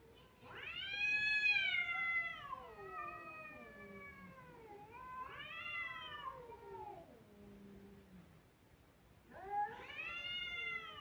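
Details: Kittens wailing in three loud, drawn-out cries. Each one rises quickly, holds a strained, harmonic tone, then sags slowly downward. Softer, lower mews trail between them.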